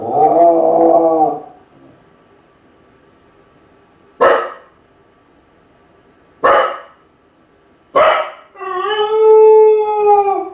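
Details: Kai Ken dog left home alone, howling from loneliness as if calling its family to come back. A mid-pitched wavering howl opens. Three sharp separate barks follow a few seconds apart, then a long, steady, harmonic-rich howl closes.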